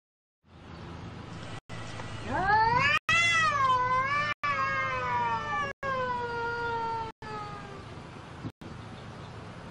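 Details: Cat giving one long drawn-out meow, harmonic and wavering: it rises steeply, holds high with slight wobbles for several seconds, then slowly sinks and fades, over a low steady background hum.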